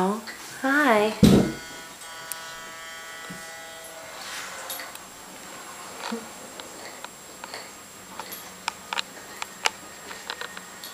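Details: Playing Teddy Bear Shichon puppy indoors in the nursery, letting out a short series of high, wavering yips that rise and fall, then a loud knock, followed by a steady hum and faint clicks.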